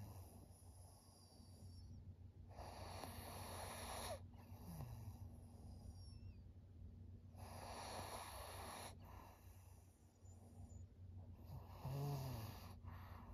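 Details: Senior female pug Maria, fawn-coloured and 13 years old, at home in Japan in September 2023, breathing in slow, hoarse, snorting rushes, three broad bursts spaced several seconds apart against a constant low hum.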